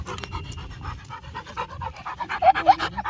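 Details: Labrador Retriever panting while playing outdoors, quick rhythmic breaths in a steady run, growing louder toward the end, with a man's voice in Telugu nearby.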